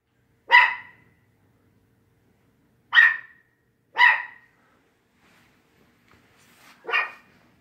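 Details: Quidam the dog barking at WAG!, with 7-pound Bella backing him up; four sharp, high, clipped barks, the first alone, then two about a second apart, and a last one after a longer pause, in an otherwise quiet room.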